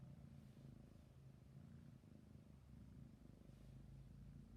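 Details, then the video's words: A sleepy kitten purrs in a soft, even low rumble, the pulsing drone swelling slightly in places, recorded close and quiet. "My cute sleepy kitten purring and yawning"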